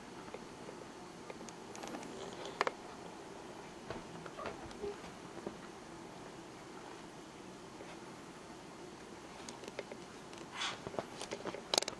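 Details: Quiet indoor room with scattered soft pattering, taps and rustles, and a faint murmur of speech.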